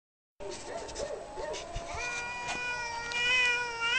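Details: Domestic cats fighting: drawn-out wavering yowls, low at first and then rising into a long, tense, harmonic-rich howl that swells in loudness toward the end.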